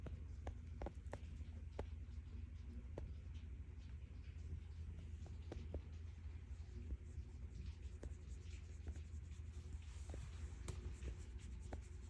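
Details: Calico cat Stella purrs as she is petted, looking happy. Unbroken low rumbling drone, overlaid with frequent light taps and scratchy rustling from fingers stroking her fur.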